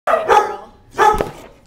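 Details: Young energetic female dog giving two sharp, loud barks about a second apart, each a short harsh burst, in a quiet indoor setting.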